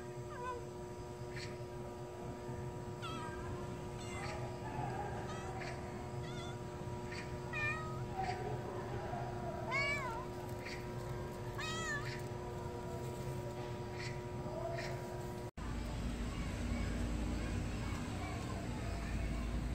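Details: Street cat back after TNR neutering gives a long run of short, uneven meows, several rising then falling, clustered between three and fifteen seconds over a steady hum; quieter rustling noise follows.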